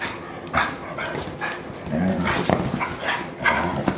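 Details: Kingsley, a German Shorthaired Pointer, wrestles on a couch with Wilma the Bloodhound; rough, grumbling play growls and yips mixed with scuffles and rustling movement throughout.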